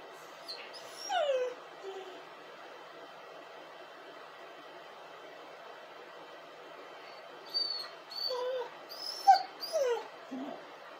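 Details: Dog crying and howling: high, wavering whimpers sliding downward in pitch, one short burst near the start and a longer cluster of whining cries toward the end, separated by quiet steady background hiss.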